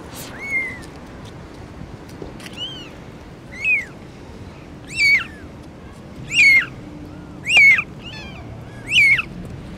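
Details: Cat family of a mother and four kittens: a series of six clear, high, arched mews, each rising then falling, repeated roughly every one and a half seconds over a quiet background.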